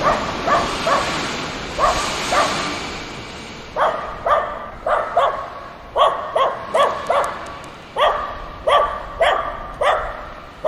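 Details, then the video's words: Playing dogs bark together in short, sharp yaps, often doubled or tripled, repeating roughly every half second to second over a soft hiss of background noise. "The sound of dogs barking and playing together"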